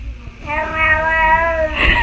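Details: Domestic cat giving one long, steady meow lasting over a second, slightly falling at the end, with a woman's exclamations and chatter just before and after.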